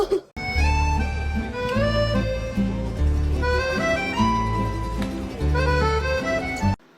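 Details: Lively accordion and harmonica music with a steady bass beat plays throughout, with faint speech and laughter and no animal voice.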